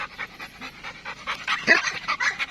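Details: Labrador–Belgian Malinois mix dog panting: quick breathy pulses about five per second, growing louder in the second half, with a brief squeaky whine-like note near the middle.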